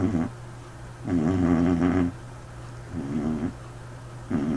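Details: Sleeping white dog with a peculiar snore: long rumbling, buzzy snores with a wavering tone, each lasting about a second, separated by quieter breathing pauses, with a steady low hum underneath.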